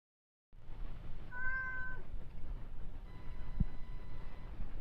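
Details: Rescued kitten, 52 days after rescue, on the day of its FeLV/FIV test and vaccination: one short, clear, slightly rising meow near the start, then low steady background hum and a single faint click.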